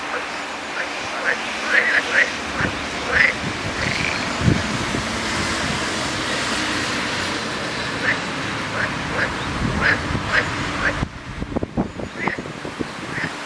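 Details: Many frogs calling at once, a steady mass of overlapping croaks with short higher notes popping out every second or so, plus some wind rumble.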